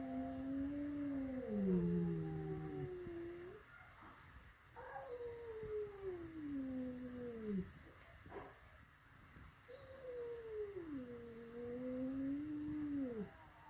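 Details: Domestic cats at home, a flat-nosed cat meeting a peak-nosed cat for the first time: three long, wavering, drawn-out yowls, each sliding down and then up again over about three seconds, with quiet room noise between them.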